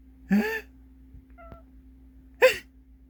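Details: A cat that dislikes sneezing sounds gives two short cries that rise, then fall, each tangled with a sharp burst of sneezing. A faint, brief tone sounds between them over a low steady hum.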